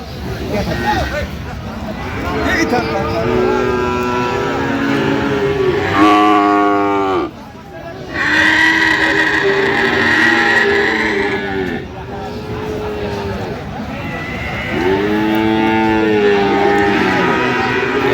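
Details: Friesian and crossbred bull calves at Aftabganj cattle market on 30 December: several loud, drawn-out moos with rich stacked harmonics, each lasting a few seconds, rising and falling, amid steady crowd chatter and bargaining voices.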